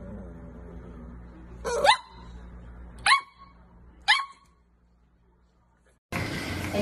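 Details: Corgi dog indoors giving three sharp, high barks about a second apart, each with a rising yelp-like onset, then a pause before a burst of louder noisy sound at the end.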